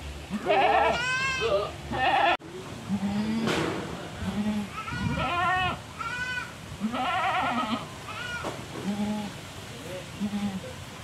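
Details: Black-and-white spotted domestic goat, kept ahead of Qurban and said to be very fierce, bleating repeatedly with shaky, vibrating cries, interspersed with shorter low bleats and a sharp knock.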